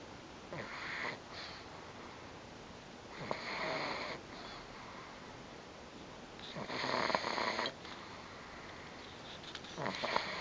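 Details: Female pug Bobby dozing after a tiring day at grandma's house, 24 May 2009, snoring very loudly; harsh rasping snores of about a second each recur every three seconds or so, some louder than others, in a small quiet room.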